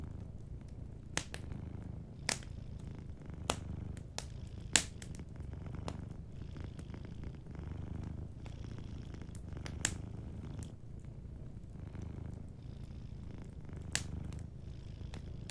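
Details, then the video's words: A cat sleeping by a warm fire purrs in a steady low rumble that rises and falls in breath-length pulses, while crisp fireplace crackles snap at irregular moments throughout. "Warm Fireplace Ambience with a Sleeping Cat 🐱💤Fireplace & Soft Purring"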